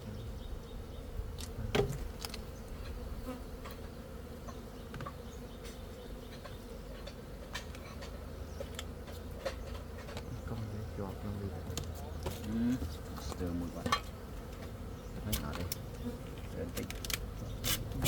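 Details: A continuous low buzzing hum from honey bees holds throughout, broken by sharp clicks and knocks and a few brief faint voices.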